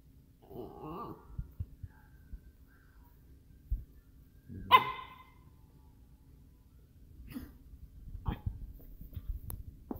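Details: Miniature Schnauzer asking to play indoors: a sharp, bright bark near the middle, then a couple of shorter yips toward the end, with soft muffled noises at the start and a low steady hum throughout.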